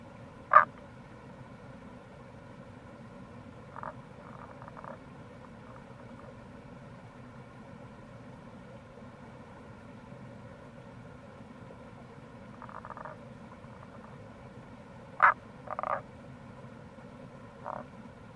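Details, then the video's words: Sparse croaking of Tago's brown frog (Rana tagoi) in April by a gorge at Kamo River, Itoshima, Fukuoka: a few sharp clicks and soft grating trills scattered across eighteen seconds, mostly quiet, over a constant background rush of water. "Wild Frog Call | タゴガエル"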